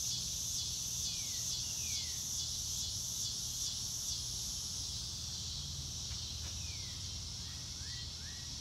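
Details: Crickets under an open blue sky: a bright pulsing chorus beating steadily about twice a second, while a bird adds several short, thin, sliding whistles, some falling and some rising, near the start and end.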